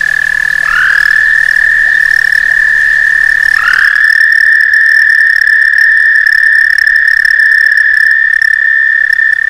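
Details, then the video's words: On a back stoop in summer, a frog gives its mating call, a loud high trill with a short rising start, breaking once and then resuming as one long, unbroken pulsing trill. "Frog mating call"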